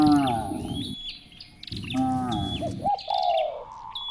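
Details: Cows being herded through village streets in the morning, giving two drawn-out, harmonic-rich moos of about a second each, separated by a short pause, with small birds chirping repeated falling notes and a steady high whine behind.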